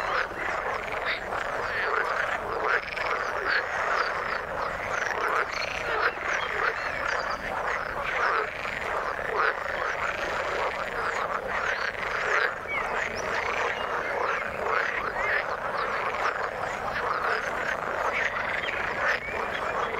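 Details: A steady chorus of frogs calling in the water, many animals croaking in rapid overlapping pulses for the whole stretch, with sporadic higher chirps and faint whistles mixed in.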